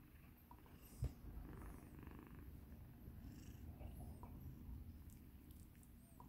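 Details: Low, steady purring from a rescued kitten, formerly in poor shape, during a relaxing massage, a continuous soft rumble with one brief tap near the start and light rubbing sounds.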